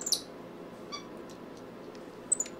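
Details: Lillian Louise, a pet capuchin monkey, is at play indoors with a cat named Tootie Pie, who steals her monkey biscuits. Two brief, thin, very high chirps come at the start and near the end, with a faint squeak between them over quiet room noise.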